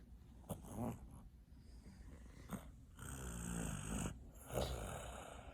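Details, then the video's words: Sleeping kitten snoring, with about four rough, raspy breaths at irregular intervals over several seconds, some louder and longer than others, over a steady low background hiss in a quiet indoor setting. "Snoring kitten!"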